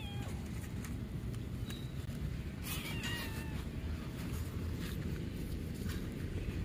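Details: Street cats being fed a snack in a park one morning, a calico acting aggressively toward a white cat; one short harmonic meow rises midway, with a fainter cry at the start, over steady low rumbling background noise and scattered clicks.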